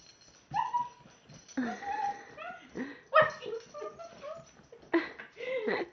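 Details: Siberian husky indoors attacking his bed, believing something is in it: a run of high whining yips and rising, wavering whimpers in short bursts, with faint rustling between calls.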